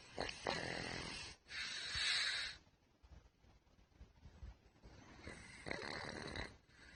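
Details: Snoring from Putchi, a sick pet pug with a thymic tumour: two loud, rough, wheezy snores close together, a quiet stretch of faint breathing, then another long rasping snore.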